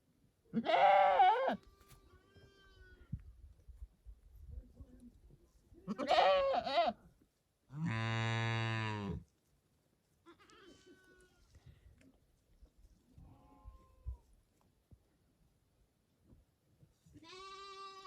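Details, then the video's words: Several farm animals calling: wavering goat bleats interspersed with a deep, steady low-pitched call and fainter bleats, separated by quiet gaps. "Goat Sounds & Goat Pictures ~ The Sound A Goat Makes"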